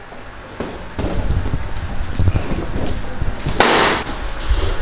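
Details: Loud rustling and knocking with a harsh burst of broadband noise midway, and no animal voice.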